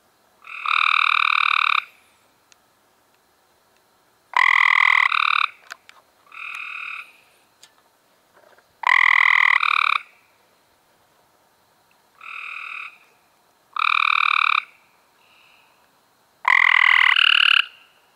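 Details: Cope's gray treefrogs calling in May 2016: a group alternating loud, harsh buzzy trills near one second long, some overlapping, with fainter frogs answering in the gaps.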